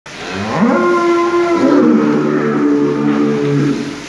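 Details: An aggressive Holstein Friesian bull lows in one long, loud moo of about three seconds, rising at the start, then holding a steady harmonic-rich tone before a lower, rougher tail.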